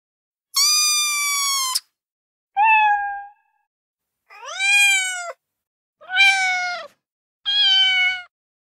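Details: Five separate kitten meows calling for mom, with clean silence between them: a long flat bright cry, a short lower one, then rising-and-falling meows, one of them harsher and rougher in tone.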